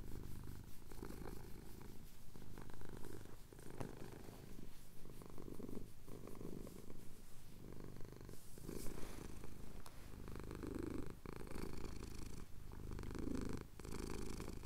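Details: Over nearly fifteen seconds a male cat purrs steadily while his chin is scratched as the sun rises over the Cotswold hills, recorded on a Tascam DR-07X; the rumbling purr pulses in even breath cycles, close and intimate.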